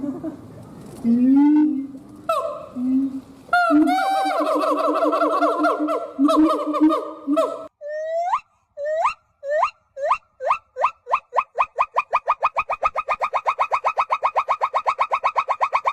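A hoolock gibbon gives wavering hoots, then a fast run of sharply rising whoops, about four each second.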